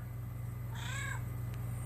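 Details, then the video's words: Pet cat answering its owner in conversation with one clear meow of about half a second that rises and gently falls, followed by a faint tick, against a constant low-pitched background hum. "Talking with my Cat"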